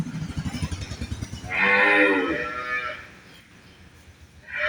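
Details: Holstein Friesian dairy cow at a farm in Bangladesh, giving one long harmonic moo after a man's Bengali speech, with another moo starting at the end.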